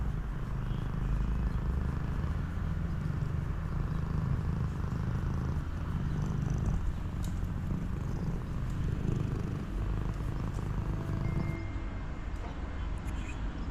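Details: Street cat hugging the person who feeds it, reunited after three months apart; a low, steady rumbling purr runs unbroken through the whole stretch, with a faint thin high whine near the end.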